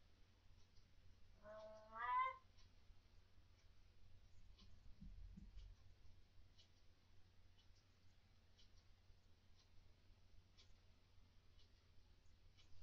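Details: Pet cat Fluff, vocal at night about unseen ghosts or orbs it dislikes, gives one drawn-out meow that slides upward with rich harmonics near the two-second mark, then the small indoor room falls quiet apart from faint scattered clicks and low hum.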